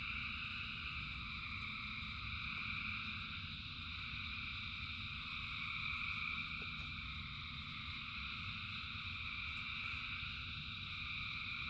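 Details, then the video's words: A massed chorus of frogs singing in the rain: continuous shrill, overlapping trills form a constant high wall of sound while heavy rain hisses and rumbles underneath throughout. "Frogs in Rain 2 Hours of Frogs, Thousands of Frogs Singing"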